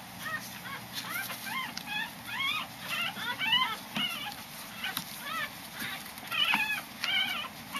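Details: A five-day-old newborn Corgi puppy being weighed gives rapid, high, arching squeaks and whimpers, repeated in quick bursts.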